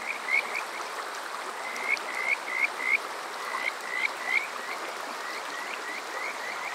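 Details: Kajika frogs calling on a summer night at Water Park Shirayama in Yokoze, Chichibu, Saitama, recorded with a TASCAM DR-05X: short rising whistled notes in quick runs, several voices overlapping, over a steady hiss of running water.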